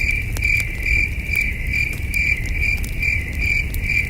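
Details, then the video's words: Night chorus of crickets at a peaceful camping site under the stars, a rhythmic high-pitched chirp repeating roughly twice per second, with low fire crackle and breeze filling the background. "Soothing Cricket Sounds"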